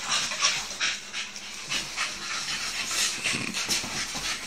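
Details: Playing Staffordshire bull terriers making fast, airy panting and snorting puffs, roughly three per second and irregular, over a hissy background of movement.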